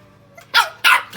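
A Shih Tzu puppy gives two sharp, high barks, then a softer third yap.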